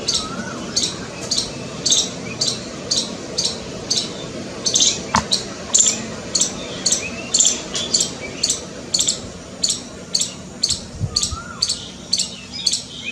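A squirrel gives a steady run of sharp, high chirps, about two each second, in alarm.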